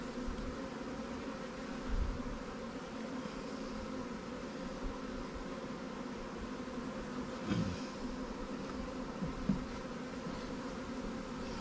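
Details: A recently caught honey bee swarm, housed in a Langstroth or Warré hive, hums during a beekeeping check. The low, continuous drone is steady, with a few soft knocks and short bursts of louder buzzing.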